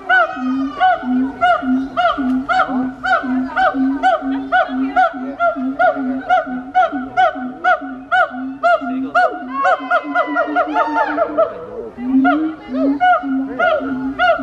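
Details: Siamang gibbon giving a wake-up call: loud, rhythmic chorus of tonal hoots repeated about twice a second on a steady pitch, with faster rising and falling whoops building near the end before the steady hooting resumes.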